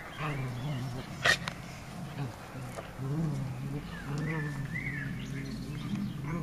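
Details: Two Shetland Sheepdogs in a garden on 12 June 2014, eight-year-old senior Leo playing with the youngest, Maeva: low, sustained rumbling growls with stacked overtones run almost continuously, while whistled birdsong sounds in the background.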